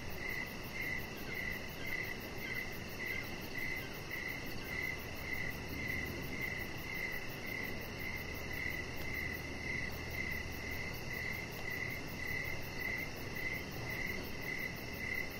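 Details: Evening crickets outside by a deck. Their regular pulsed chirps repeat close to twice a second throughout, joined by a thin, rapid high-pitched pulsing and a soft low rumble underneath.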